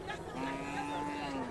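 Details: Bullock at a bullock market in Pedhewadi, giving a sustained, steady low moo with a faint overtone held for over a second amid background crowd noise.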